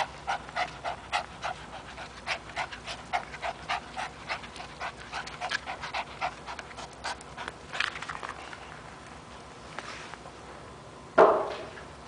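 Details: A pet Chihuahua terrier, three years old and called Toby, panting while at play with a rope; regular short breathy huffs for about eight seconds, then a lull and a sudden louder thump near the end.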